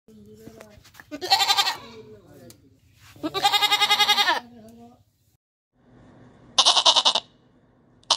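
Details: Goat bleating: three wavering, nasal bleats, the middle one long and quavering, separated by quiet pauses, with faint background noise.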